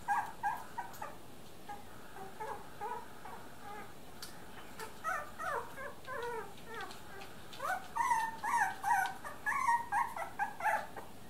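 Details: Three-week-old Miniature Dachshund puppies whimpering indoors: thin, wavering whines and squeaks rising and falling, irregular at first, then denser, louder runs of short cries near the end.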